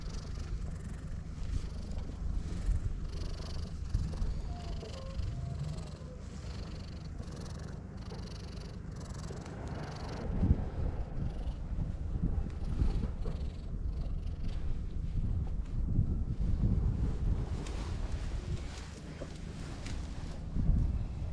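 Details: Stray cat on a cat island, teary-eyed, purring while being petted and letting its belly be touched; a low, steady rumbling purr runs through the whole stretch, partly masked by wind and handling noise outdoors.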